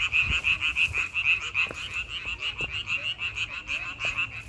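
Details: Frogs calling in May: a dense chorus of rapid, repeated croaking pulses blending into a steady trilling rattle, several callers overlapping, with a few low thumps beneath.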